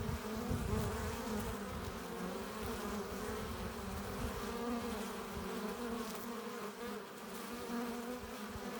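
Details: Many honey bees buzzing at the entrance of a hive as foragers return carrying pollen and nectar; a constant, full-bodied droning hum with overlapping wingbeat tones that swell and fade slightly.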